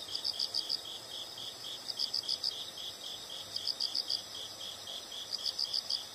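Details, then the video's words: High-pitched insect chirps sound in clusters of four quick pulses about every one and a half seconds, with a continuous hiss behind them. "the sound of insects"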